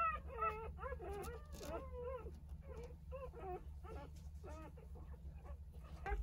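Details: Jindo dogs: a mother nursing her nine 3-day-old puppies. Dense, high squeaky whimpers and wavering yelps tumble over one another in quick irregular bursts, with a steady low hum underneath.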